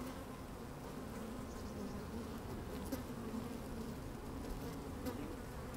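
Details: Inside an opened beehive on a sunny day, worker honey bees move about; a steady low buzzing drone fills the recording, with brief brighter buzzes of individual bees rising above it and a soft crackle of movement.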